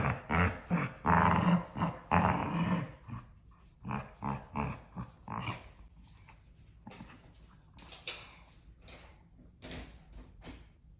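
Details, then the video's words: Two dogs in a playful daily squabble, yapping nose-to-nose and giving love bites; loud growly yaps in the first seconds give way to quieter, quick repeated grunts and short yips that fade toward the end. "Dog Husband & Wife Have A Serious Argument Yapping At Each Other Everyday"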